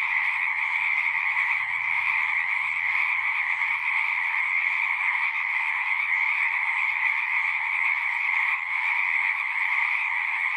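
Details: Frogs sing en masse in a continuous, pulsing chorus of high trills over a lower steady drone, with a faint low rumble in the background early on; no distinct single calls stand out.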